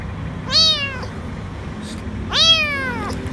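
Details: Little lost kitten, dirty and afraid, under a food truck at a grocery store, crying for food; two strong descending meows two seconds apart over a quiet low background hum.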